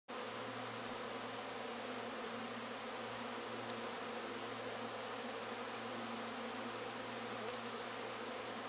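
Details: A dense, steady hum of tens of thousands of honey bees buzzing together right beside the hive's honey supers, flying all around the beekeeper without stinging, low and even throughout.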